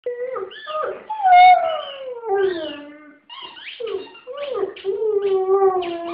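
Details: A white female German Shepherd howls indoors, set off by her favourite small squeaky ball toy; long wavering howls sliding down from high to low, with a brief pause midway before another rising and falling howl, with music and a person's voice.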